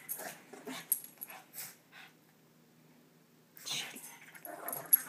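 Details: Shih Tzu pair Bobo and Munchkin at play give breathy huffs and snorting bursts in quick clusters, then a short quiet gap before another rough flurry of snuffles and scrabbling, while voices cheer them on.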